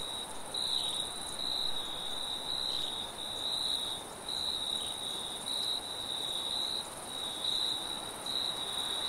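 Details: Crickets calling at night in a forest: bright, high pulsed chirps about once a second, steady and unbroken, with light wind and a faint background hum of other insects.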